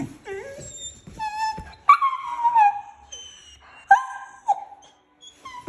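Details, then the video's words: Female German Shorthaired Pointer puppy throwing a tantrum and talking back because she does not want to sleep: a string of high, drawn-out whines and wailing yowls that bend up and down, broken by short gaps and yips. "Puppy having a tantrum and talking back because she doesn't want to sleep"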